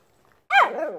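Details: Siberian Husky howling in response to a street corn vendor's horn: a single loud, harmonic tone that jumps up and then slides downward with a wavering fall, preceded by a quiet pause.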